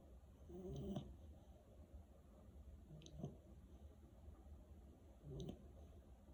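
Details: Malinois puppy asleep and snoring, soft low rasping breaths about every two seconds, quiet against a steady background hiss.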